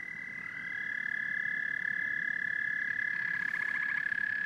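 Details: Frogs and toads trilling together, one steady high buzzing trill joined by a second rising voice, then a rapid, rhythmically pulsed call enters toward the end over the constant chorus.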